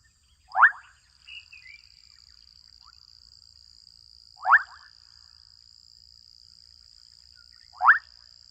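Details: Several adolescent frogs calling in a Kenyan wetland give short, sharply rising chirps a few seconds apart over a steady high insect whine.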